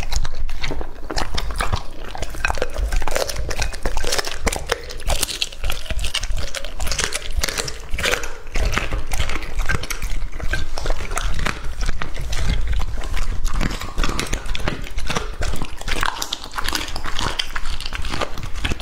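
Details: Close ASMR-style recording of Lucky, a male English Labrador Retriever aged two and a half, feeding on raw meat. Continuous rapid biting, crunching and smacking with bursts of sharp clicks fills the whole stretch.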